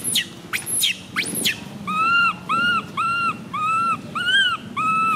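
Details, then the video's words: Tiny baby monkey MoMo crying after falling down: three shrill screams sweeping steeply downward, then a run of short arched whimpering cries, about seven in quick succession, each rising and falling at a steady moderate pitch. "Tiny baby monkey MoMo falls down while she crying."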